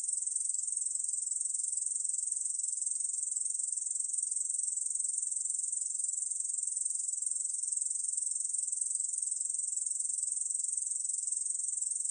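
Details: Uninterrupted shrill buzzing song of a Korean bush cricket, finely pulsed and steady in loudness, from the National Institute of Biological Resources, 2020; nothing else audible.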